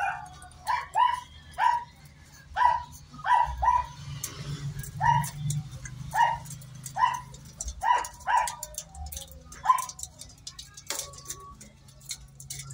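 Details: Miniature Pinscher in a natural mating stud session, giving a run of short, tonal whimpering yelps repeated roughly every half second to second, each a brief harmonic squeak, with a low rumbling hum and faint speech-like murmur behind.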